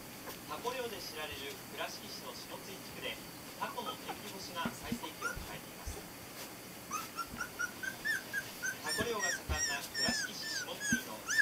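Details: Four Border Collie puppies, 22 days old, born 23 November 2012, give thin, squeaky whines that rise and fall, high and tonal, scattered irregularly and growing busier toward the end, with people talking underneath.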